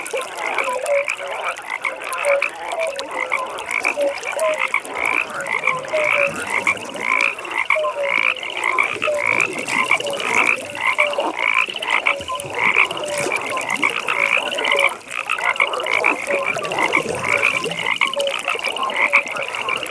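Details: Dense frog chorus from a pond at night: a steady run of rapid, pulsed high croaks rolls on without pause, with scattered lower notes beneath and constant background hiss.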